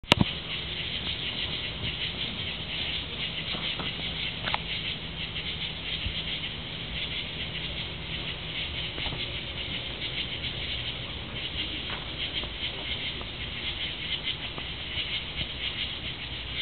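Tree frogs calling together in a dense, steady, high-pitched trilling chorus that never lets up.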